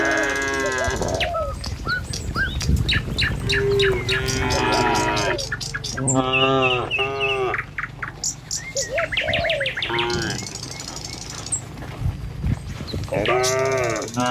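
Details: Morning herd of tame cattle crossing a village road to the pen: a run of overlapping moos, short grunting ones and longer level bellows, mixed with frequent bird chirps and trampling hooves.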